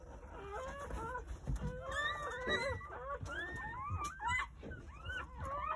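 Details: Overlapping thin squeaks and rising whines from newborn Jindo puppies, born one after another between 8:30 in the morning and 1 pm on New Year's Day in a rural home, with soft low thumps underneath.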